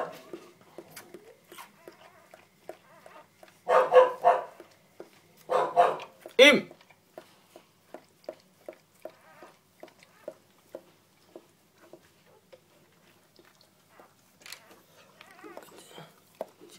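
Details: Purebred Border Collie puppy, male number 03 from a litter born 4 October 2013 at a Vietnamese breeding kennel, lets out three loud sharp yapping bursts amid quieter ticking sounds, with a person talking indoors.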